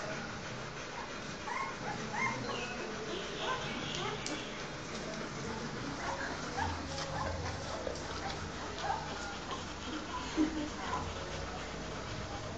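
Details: Newborn Rottweiler puppies of a litter nursing, producing many short, thin squeaks and whimpers scattered throughout, some rising in pitch, mixed with muffled rustling and a low continuous hum.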